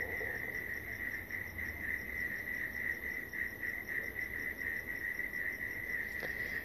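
A chorus of crickets fills the air with an unbroken, high-pitched ringing trill. Fainter, rapidly pulsed chirps sit above the main tone, with a soft outdoor background beneath.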